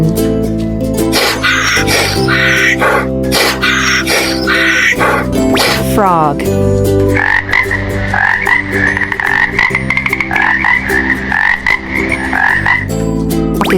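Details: Frog croaking in the second half as a fast, rattling run of pulsed calls, steady and sustained for several seconds; the first half is mostly background music and mixed noises.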